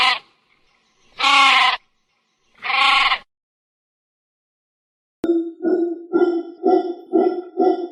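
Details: Sheep giving two loud, quavering bleats about a second and a half apart, then a pause followed by a different rhythmic, pulsed series of lower calls repeated about every half second.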